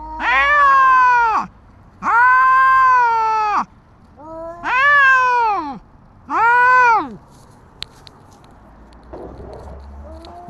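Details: Street cats in a standoff, a tabby putting a white cat named Dabai through its paces: four loud wavering yowls, rising and falling. Then quiet with a few sharp clicks and soft rustling near the end.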